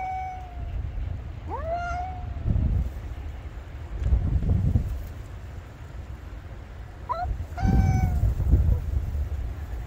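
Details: A black cat calls loudly at a white cat in a cat-to-cat conversation, filmed December 2022. There are three clear harmonic meows: one long and level, one rising then falling, and a short final one. Heavy low wind rumble runs underneath.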